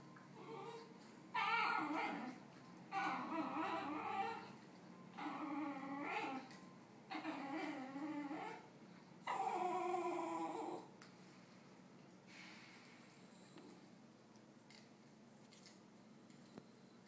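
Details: Basenji named Bingo, indoors, wanting another dog Keeyo's snack: five drawn-out, wavering, yodel-like vocal bursts about every two seconds over the first eleven seconds, then only faint quieter sounds.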